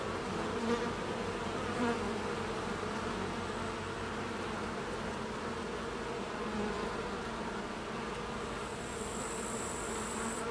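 Carniolan honey bees hum in a steady, dense drone of many overlapping wingbeats.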